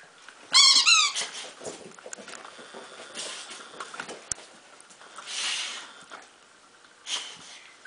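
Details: Bulldog named Duke, indoors, choosing a toy: a brief burst of high squeaky whimpering near the start, then soft scuffling and rustling while a person praises him.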